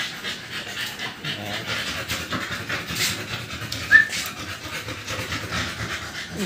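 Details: Two-month-old American Bully puppies, just given their second 5-in-1 vaccine, pant indoors. Soft, breathy rasping bursts come in a steady run, with one brief sharper squeak midway and faint voices behind.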